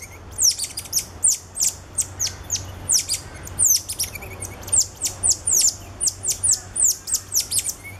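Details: Captive cotton-top tamarin family with two ten-day-old infants riding on the father's back, Alma Park Zoo, November 2013. Rapid series of shrill, high-pitched descending whistle-chirps, several animals overlapping, over a faint low hum.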